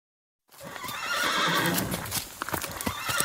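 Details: Icelandic horse neighing: after half a second of silence, a rough, breathy whinny with wavering tones, followed by irregular hoof clip-clop and scuffling noises.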